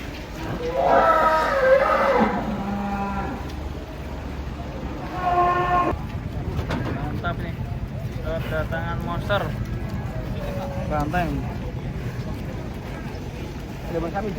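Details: Cattle coming down off a truck: two loud, rich moos, a long one early and a shorter one about four seconds later, followed by people talking amid a low vehicle hum.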